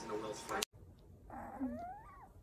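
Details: Cat indoors after belly rubbing gives a single drawn-out meow that rises and then falls, following a burst of a woman's voice and a sharp cut.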